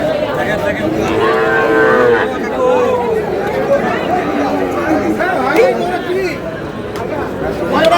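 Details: At a Cumilla livestock market in Bangladesh on 27 March, Sahiwal bull calves give a clear, resonant moo lasting about a second early on, followed by softer lowing amid market chatter.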